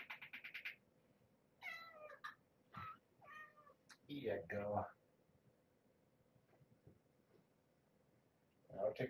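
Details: Mother cat Marge, once a very pregnant stray, now at Purrfect Pals with her growing kittens at morning feeding time: a quick burst of thin, high kitten mews, then several rising-and-falling meows with rich overtones, with a person talking in between.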